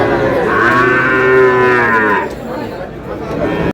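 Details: Sahiwal bull calves on sale at a Mymensingh cattle market in Bangladesh, 7 May: one long, full moo that swells and then drops off after about two seconds, followed by quieter murmuring and faint voices in the background.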